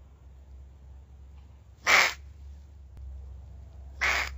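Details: Angry Pacman frog giving two loud, harsh, broadband squawks about two seconds apart, each lasting a fraction of a second, over a low steady hum.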